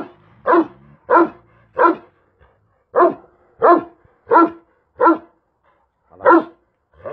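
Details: Large Kangal shepherd dog Karabaş barks repeatedly: nine loud, deep woofs in loose clusters of three and four, with short silent pauses between bursts.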